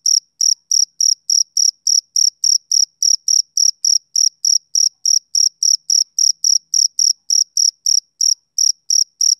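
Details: Steady chirping of a male cricket on a summer evening, bright high-pitched pulses at a fast, even rhythm of roughly three per second throughout, with a silent background.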